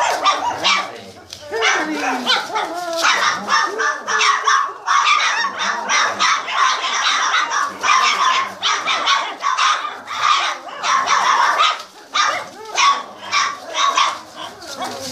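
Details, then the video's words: A 27-day-old Boxer litter (Haakon von der Vogelwarthe × Greta) barking together: shrill, squeaky yelps and rising whines tumble over one another in rapid bursts, with short lulls between volleys. "Barking - session #1"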